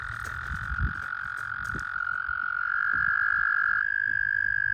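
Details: Several American toads trill together at a puddle during breeding season. Long sustained musical trills overlap, and the pitch steps slightly higher as one caller takes over, with faint low rumbling and a few clicks underneath.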